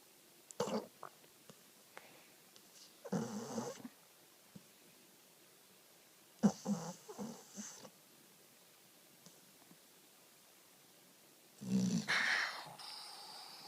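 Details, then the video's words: Sleeping American Pit Bull Terrier rescued from the street, snoring and talking in its sleep: four scattered breathy, rasping bursts with long quiet gaps between them, the last one louder and lower. "Pony the Pitbull Snoring and Sleep-talking"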